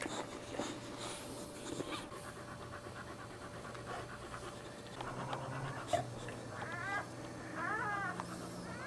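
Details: Boxer dogs during the birth of puppies, indoors: steady rhythmic panting throughout, with a few soft whimpers and, near the end, short high rising squeaks, over a constant low hum.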